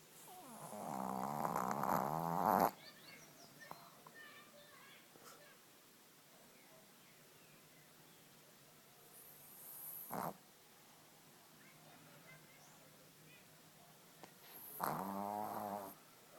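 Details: Pug snoring: a loud, raspy, rattling snore of about two and a half seconds opens, a short snort breaks the quiet near ten seconds, and another rattling snore returns near the end after a long still pause.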